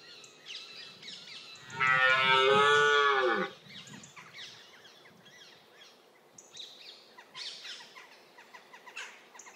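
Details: Red deer stag during the October rut gives one loud, hoarse, harmonic roar of about two seconds, falling at the end, followed by quieter background with faint high chirps and scattered rustling.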